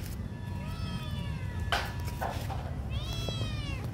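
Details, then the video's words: Small hungry kitten crying, giving several thin, high, drawn-out meows with a short break between them, heard over a steady low rumble and a few knocks. "Small kitten hungry crying"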